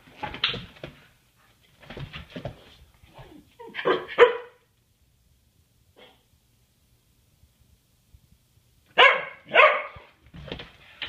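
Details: English Mastiff playing with another dog indoors in a small room; loud, harsh barks come in short bursts, a cluster near the start, more around the fourth second, then two strong barks near the end, with quiet gaps between.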